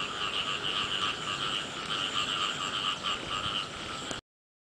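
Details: Frogs in the rain at the start of the year, a busy chorus of quick rattling croaks pulsing about four times a second, overlapping callers, ending abruptly into silence.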